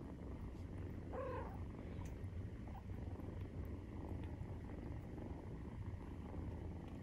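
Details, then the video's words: Continuous deep purring of Maine Coon cats at nursing time, kittens 43 days old; an even, throbbing low drone runs the whole way, with one brief higher squeak-like sound early on and light rustling. "授乳時のゴロゴロ 生後43日目【メインクーン動画】"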